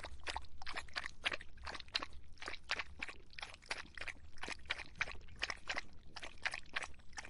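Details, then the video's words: A dog slakes its thirst on a hot summer day, lapping water in quick, even, sloshing strokes, roughly three a second, throughout the recording over a low background rumble. "더운 여름 강아지가 목 축일 때 나는 소리 The sound of dogs on their throats in the hot summer"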